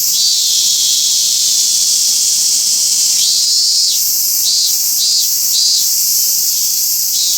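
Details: Robust cicada singing at Toyanogata Park, where only a few live: loud, dense high-pitched drone with pulsed, wavering phrases repeating roughly twice a second, no other clear sounds.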